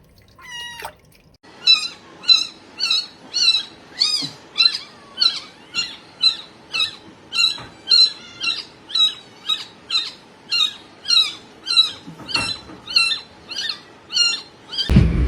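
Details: Kitten meowing in a steady series of high, thin, harmonic-rich meows, roughly one every half second for about thirteen seconds, with a short rising squeak at the start and a burst of rustling at the very end.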